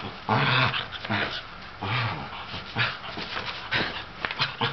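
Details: An older sable Shetland sheepdog, feeling crazy and wanting to play with a younger ginger tabby cat, gives sharp, bursting barks in a quick, uneven series.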